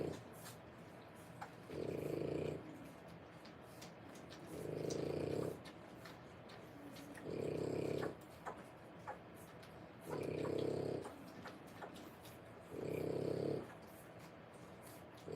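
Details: Three-week-old French Bulldog puppies, born 1/10/25, in a whelping setting; a low, rumbling, pulsed snore swells for nearly a second, recurring five times about every two and a half seconds over a quiet indoor background.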